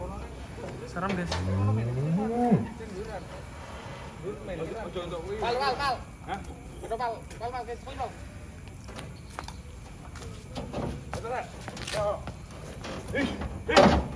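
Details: One of four giant cattle being loaded onto a truck late into the night gives a deep, drawn-out moo early on that swells upward then breaks off, followed by people talking and clattering handling noises.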